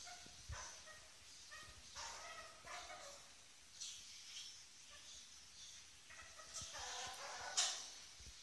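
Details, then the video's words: Eight-week-old ferret kits Lily and Django at play on their first evening in their new home, giving a series of brief, nasal, buzzy squeaks roughly once a second over faint background hiss and occasional bumps. "Baby Ferrets / Ferret Kits Playing"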